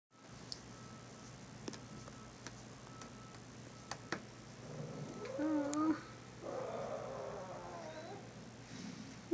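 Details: Sleepy 19-day-old Pekingese puppies give thin, wavering whimpers and squeaks that rise and fall in pitch.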